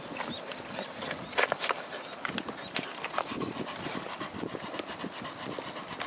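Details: Welsh Corgi named Roku panting while fetching a ball and swimming, recorded 18 July 2021; quick, breathy, irregular huffs with a few sharp clicks over steady outdoor background noise.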